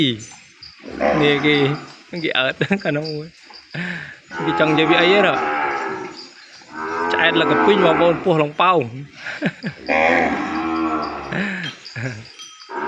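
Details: A calf kept apart from its mother in the pen cries out for her: loud, drawn-out harmonic moos rising and falling, several bursts over the stretch, with a man talking between and over the calls.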